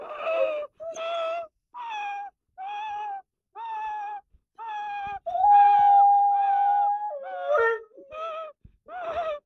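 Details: Morning 'singing' by a young Rottweiler, 12 months old: a string of brief tonal howls, then one long level note held for about two seconds that bends downward, followed by quicker yelping howls.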